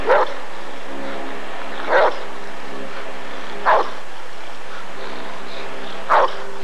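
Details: Rottweiler at an ADRK breed survey (Körung) in 1994, giving four single loud barks spaced about two seconds apart over a steady background hum.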